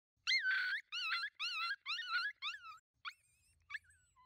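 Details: Wild coyotes, a pack of five moving in at night toward a thermal-scope position: a rapid series of high, wavering yips and warbling howls, about six bursts in under three seconds, then a few short scattered yelps fading out.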